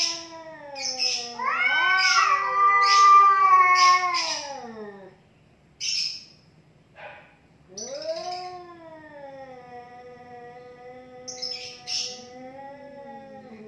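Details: Two cats squaring off in a fight: a loud climbing yowl held for several seconds, short sharp spits and hisses in a pause, then a long lower wavering growl-yowl resumes.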